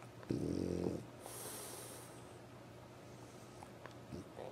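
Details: Maximus, a French Bulldog, snoring away while asleep late at night indoors: one loud, low, buzzy rattling snort of about half a second, then a long airy breath out, followed by quiet breathing and a faint short snuffle near the end.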